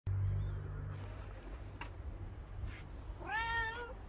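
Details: Abandoned homeless street cat asking for attention and love, having stopped a passer-by for a long time; a single rising-falling harmonic meow near the end over steady low rumbling background noise.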